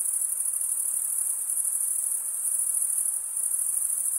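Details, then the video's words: Chirping crickets, the sound made by a wing scraped across a comb-like row of teeth. A sustained high, ringing trill holds steady with tiny rapid pulsations and nothing else audible. "Most relaxing cricket sound for 8 hours"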